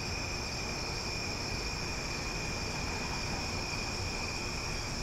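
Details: Loud night chorus of cicadas in Omaha during summer, a constant high-pitched buzzing hum without pauses, several steady tones stacked together, set against a dull low rumble.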